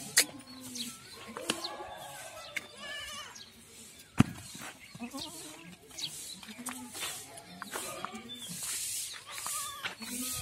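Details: A crowded pen on a goat farm in Ajmer and Kota, Rajasthan: short wavering goat bleats come from many animals at once, mixed with knocks, rustling and a sharp bang.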